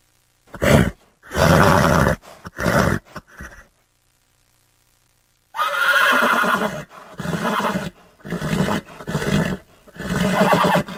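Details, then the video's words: A horse giving a series of short, rough, breathy bursts, some low and rumbling, separated by a pause of silence, then a longer run of loud grunting nickers. "horses sounds"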